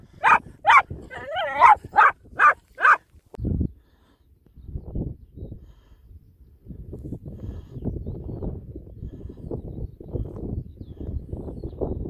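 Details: Jack Russell working terriers out on fox control in Renfrewshire, Scotland: a rapid run of about seven sharp, harmonic-rich barks over three seconds, then rustling, footsteps and low outdoor rumble.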